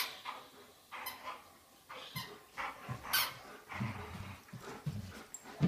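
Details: Two Old English Sheepdogs, Dolly and Chewy, romping together at home; quiet low grunts and snuffling huffs come in short bursts roughly once a second, with a few brief sharp high-pitched squeaks between them.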